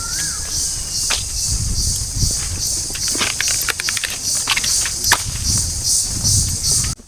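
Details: Crickets in a Garo tribal village near the India-Bangladesh border, a steady high shrill hiss running throughout, overlaid by footsteps, rustling and a man talking in Bengali.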